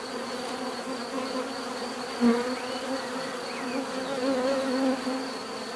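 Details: Many bees buzzing in a steady drone, a low hum with bands near 250 and 500 and a thin high tone above; a few faint chirps or whistles drift in briefly over the continuous hum.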